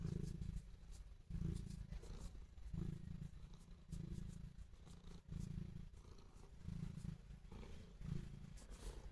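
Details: Affectionate house cat purring toward its owner, a low buzzing rumble that swells and fades in a steady breathing rhythm, roughly one pulse every second and a half.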